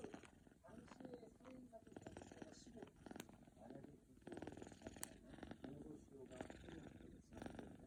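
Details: A sleeping British Shorthair kitten purrs, or perhaps snores, in a steady, low, pulsing rumble, with soft human voices nearby.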